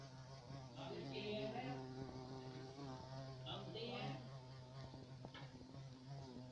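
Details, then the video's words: A carpenter bee buzzes in a steady, low droning hum with a rich stack of overtones, while faint rustling and higher clicks sound in the background. "abejorro carpintero"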